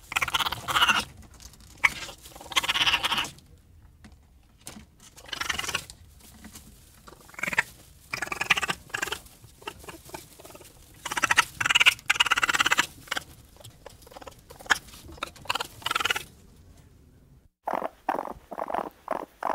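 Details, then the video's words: Raccoon giving harsh, raspy bursts of chattering and squealing in irregular clusters, some loud and others soft, separated by short silences, ending with a quick run of sharp chirps. "What does a Raccoon sound like?"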